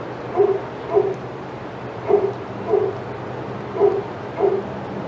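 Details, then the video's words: Senior dogs in the outside yard at Old Friends Senior Dog Sanctuary, excited as another dog, Titus, passes; six short barks come in pairs and singles over about five seconds, with faint background hum. "Dogs Go Crazy as Titus Passes"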